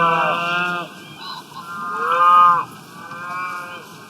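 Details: Wild-grazing cows eating grass give repeated long, buzzy moos, each about a second long, with bright harmonic overtones, one sliding gently upward, over a constant rustling background.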